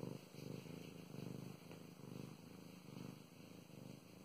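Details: Pet cat Mow Mows purrs contentedly as she is stroked, a deep throbbing rumble rising and falling with each breath, about once a second, with a faint soft click midway.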